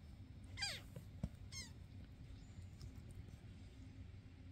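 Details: Indoor foster cats, an adult neutered male with two young foster companions, filmed May 22, 2024, during playful chaos: two short descending, harmonic meows about a second apart, amid quiet room noise, a sharp knock and a woman's voice nearby.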